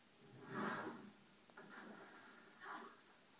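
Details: Murphy, a puppy about 10 weeks old, indoors and angry at a radiator after burning his nose on it: three short throaty huffing bursts, the first loudest, then two softer ones about a second apart.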